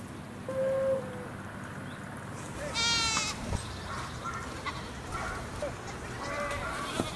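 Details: Stray goats roaming above Sasa: a single quavering bleat near the middle, rich in harmonics, with human voices and faint background noise around it.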